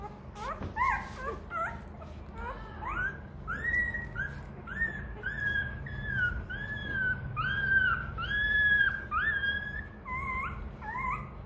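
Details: Hungry Rottweiler puppy begging for milk with a long run of drawn-out, high, slightly wavering whines, roughly one every second, plaintive and continuous over a low room hum.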